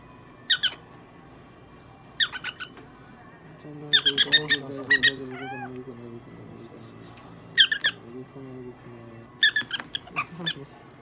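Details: Prairie dog Popo-chan during veterinary care in Nagoya, producing piercing squeaks in paired and tripled bursts every couple of seconds, while a person speaks steadily through the middle stretch.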